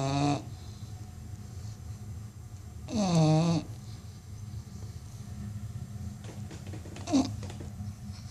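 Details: American Bully dogs, described as among the loudest snorers, heard indoors: low rumbling snore throughout, with a louder harmonic-rich groaning breath near the start and another longer one around three seconds, plus a brief higher squeak near seven seconds.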